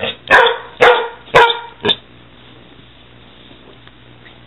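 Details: During play between a six-month-old Weimaraner and a six-year-old Catahoula, four sharp loud barks ring out in quick succession, then quiet.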